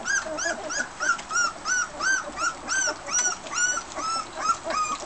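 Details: A Border Collie pup, already fed and wandering while littermates and mother Fearne eat dinner, gives steady arched whimpering whines, nearly three per second, each a rising-falling high note with bright harmonics.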